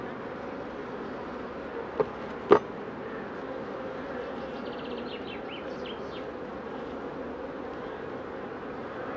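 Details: Queen honey bees held for pre-narcosis ahead of instrumental insemination give a continuous low, even buzz. Two sharp clicks sound early on, and faint high chirps come later.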